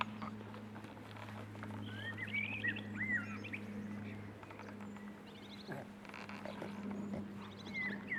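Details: Six-week-old Boston Terrier puppies give high, thin whimpers and short rising squeals in scattered bursts, with a steady low electrical hum running beneath throughout.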